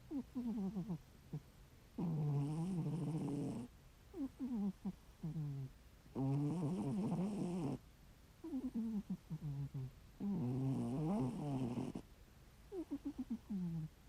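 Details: Heavy snoring from a sleeping ginger tabby domestic cat: steady cycles about every four seconds, a long harsh rasping breath alternating with a series of softer fluttering, clicking puffs, repeated three times.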